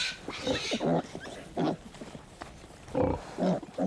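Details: On a farm, a sow lies on her side while her piglets, born about 15 days earlier, nurse. Short, throaty grunts and squeaky snorts come in uneven bursts, several each second, with soft rustling between.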